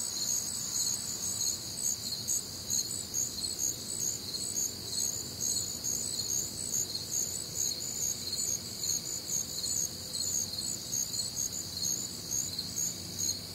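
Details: Night chorus of crickets recorded on a warm, humid summer night in the Midwest: layered high-pitched chirps pulsing roughly twice per second without pause, a continuous shimmering wall of insect sound.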